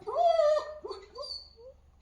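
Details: Pomeranian dog whining: a drawn-out, high, nasal whine held steady for about half a second, then a series of shorter whimpers that rise and fall, fading over two seconds.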